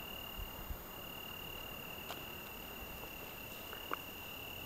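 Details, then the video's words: On the evening of 8 June in the Algarve, an Italian tree cricket sings one unbroken, even, high-pitched trill held at a single pitch, soft against a hissy night background with a couple of faint ticks. "Juni-Stimme des Abends am Algarve - Grilo da árvore"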